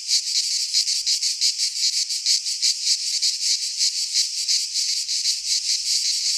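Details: Midsummer cicada chorus from a pine forest in Greece, a harsh shrill buzz pulsing about three times a second, unbroken and even in loudness from start to end.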